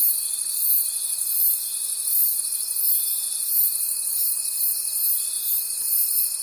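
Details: A thick wall of cricket calls fills the night forest, high and sizzling, swelling and fading in quick regular beats, while an unbroken thin steady tone sounds throughout.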